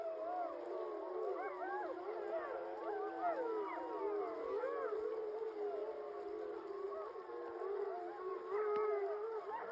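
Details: Yellowstone's 15-member Wapiti gray wolf pack gives a victory howl in chorus, many voices rising and falling, on the morning after killing and eating a large male bison.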